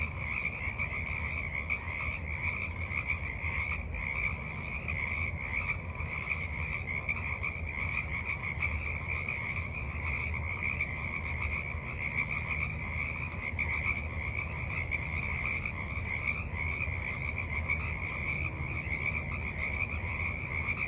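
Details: Frogs croaking in the evening at a forest pond, March 28, 2023: a dense, unbroken chorus of fast, pulsing, mid-high trills runs steadily throughout, over a constant low rumble of background noise.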